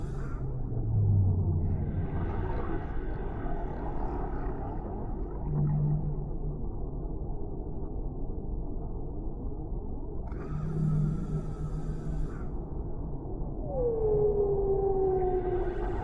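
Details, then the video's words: Deep-sea whale vocalizations set as a calm ambience: low droning moans recur every few seconds, then a long clear whistle glides slowly downward near the end, all over a continuous deep rumble. "Suara Relaksasi Paus di Laut Dalam , Relaxing Sounds of Whales in the Deep Sea"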